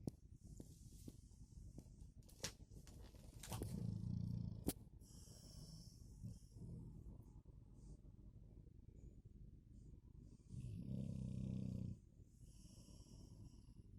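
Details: Blondie, a Golden Retriever mother, snores in two low rumbling bursts of about a second each, several seconds apart, with soft breathing and scattered clicks and rustles between them.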